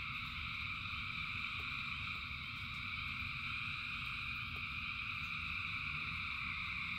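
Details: Rain-soaked night of frogs singing by the thousands, their calls fused into a continuous bright buzzing hum above a low, rushing patter of rain and intermittent clicks.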